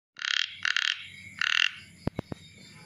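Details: Chubby frog calling: three short buzzy, rasping pulsed bursts in quick succession, followed by a few sharp clicks.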